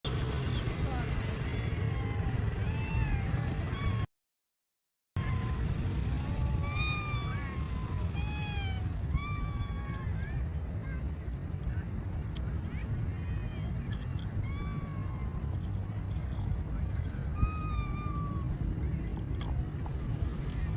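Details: A cat described as talking gives a long run of short arched meows, rising then falling and repeated every second or two, over a steady loud low rumble like a running vehicle, with a brief silent gap early on.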